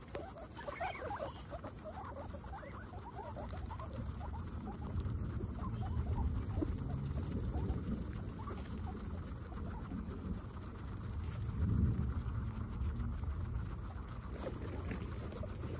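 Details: Several guinea pigs eating fresh grass, with steady rapid munching and rustling throughout and a few faint rising squeaks near the start.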